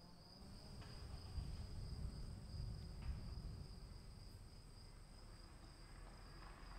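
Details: Constant shrill chirring of crickets during rain, a thin high tone held without pause, set against heavy low drumming of raindrops with a few soft knocks.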